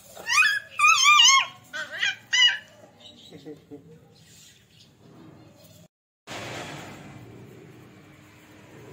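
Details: Beagle and Labrador puppies at play, the Beagle called Jerry, open with rapid, piercing, wavering yelps, then a few softer squeaks before a quiet stretch with faint rustling and a brief break in the sound.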